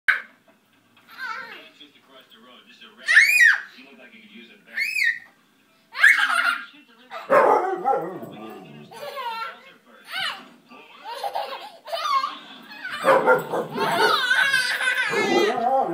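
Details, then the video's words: Siberian Husky indoors in a living room, playing with a baby, giving short rising howl-like yowls and whines around three to six seconds, followed by baby babbling and laughter with an adult voice. "Baby and Husky, Deep in Conversation"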